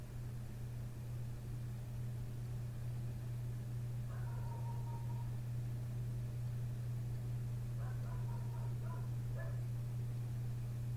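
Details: Next door's dog barks outside a window in the small hours, having started at 1:30 am; a single drawn-out bark, then a cluster of short barks a few seconds later, all above a loud constant droning hum.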